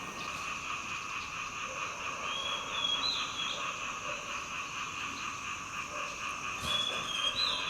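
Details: A frog croaks loudly in Thailand after the rain, close behind someone on a residential street: a steady, fast pulsing trill in stacked tones, with brief high whistled notes over it and other creatures calling.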